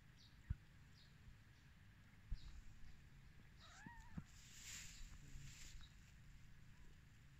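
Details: A tiny kitten on its first day of life, newly born to a mother cat, lets out one wavering mew that rises and then falls, with scattered clicks and low rumble around it.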